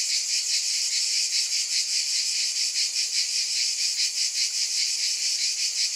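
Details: Cicadas buzzing without pause, a shrill, hissing chorus that swells and fades in slow, regular waves roughly once a second.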